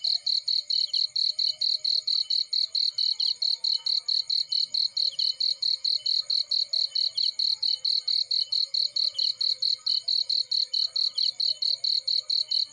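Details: Cricket sounds in a field with a fireplace burning: a loud, high, rhythmic string of chirping pulses, steady and unbroken, over a faint low murmur.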